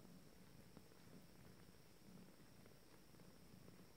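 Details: Nineteen-day-old Abyssinian kittens from a first litter, just starting to play, purr continuously; the deep vibrating drone rises and falls in short uneven surges, with only faint background noise.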